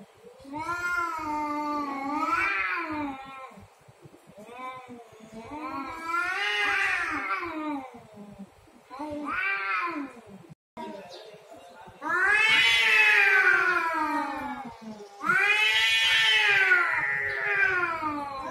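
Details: Territorial cat fight with repeated rising-and-falling yowls about every two to three seconds, the wails growing louder, higher and harsher in the second half. A brief silent gap falls midway.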